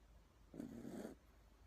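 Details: Sleeping Toy Poodle with a very loud snore: a single coarse, buzzing, rattling breath of just over half a second, rising out of near silence and then stopping abruptly.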